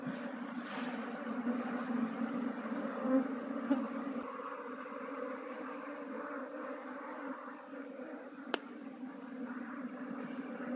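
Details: Honey bees droning during a hive transfer from a log hive into a modern hive. An even, low buzzing continues with little change in loudness, and a sharp click is heard near the end.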